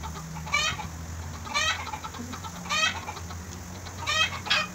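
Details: Young newborn goat being fed milk in Bahrain gives short, trembling, wavering bleats, five calls spaced about a second apart, with a steady low hum underneath.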